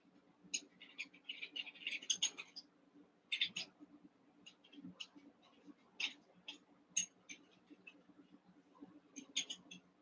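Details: Eight Cavalier King Charles Spaniel puppies, Daisy's six merged with Robin's two, playing together indoors; high thin squeaks and yips come in quick bursts, some clustered, others scattered across the stretch, over a low steady hum.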